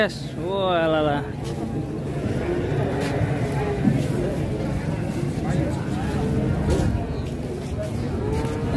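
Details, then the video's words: Giant cattle being loaded onto a truck for a contest; one short moo rising in pitch opens the recording, followed by engine rumble and handling noise as the long animal is backed up. "PROSES MUAT SAPI RAKSASA UNIK NAIK TRUK OLENG KONTES"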